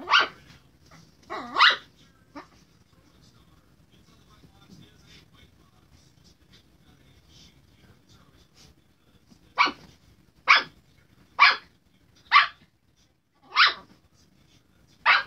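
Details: Barking from a Chihuahua harassing a Redbone Coonhound. A couple of sharp barks open the recording, then a long quiet pause, then six high, clipped barks arrive roughly once a second.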